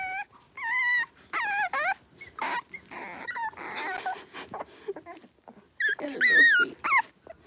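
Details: Blenheim Cavalier King Charles Spaniel puppies, a litter of five born at New Year, in an indoor puppy pen while wrestling and playing; high, shrill yips and whines rise and fall in quick bursts, some sliding downward, with short quiet gaps between.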